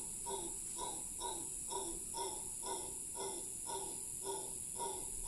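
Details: Howler monkey giving a long howl in Cahuita Park, Costa Rica; hoarse, hollow pulses repeat about twice a second in a steady rhythm, over a constant high, shrill hiss of insects.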